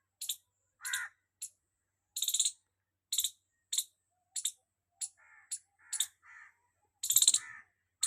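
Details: Squirrel chirping loudly, recorded at very close range: sharp, high, clipped chirps in irregular bursts, about a dozen in eight seconds, a few lower buzzy notes between them, with a quiet background.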